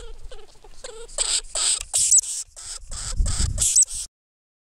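A lemming gives a quick run of shrill, raspy squeaks, about eight bursts in four seconds, over some low rumbling background noise.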